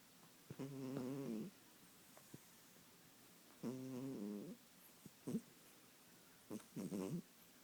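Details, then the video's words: Kitten snores: a series of low, nasal, humming snores roughly every three seconds, some short and broken, with small ticking sounds between them in a quiet indoor space. "Snoring kitten"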